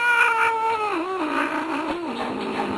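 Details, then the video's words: Grumpy Manx cat named Jack, apparently unhappy about a belly rub, lets out a wavering moaning yowl that slides downward and wobbles in pitch for nearly three seconds. "Mad Jack Wild Cat"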